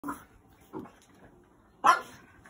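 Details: French Bulldog puppy of five to six months, rescued, fighting bedtime indoors and destroying his bed: two soft short huffs, then one sharper, louder bark near the end.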